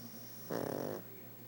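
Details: A sleeping pug gives one rough, rattling snore lasting about half a second, with a fluttering buzz, against a steady low hum.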